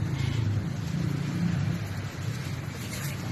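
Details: Steady low engine rumble fills the recording, with faint indistinct voices and no animal sound.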